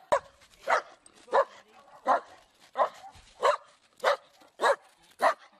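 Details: Loud barking dog giving a steady series of nine rough barks spaced roughly every 0.6 seconds, evenly paced and forceful, with faint background hum between them.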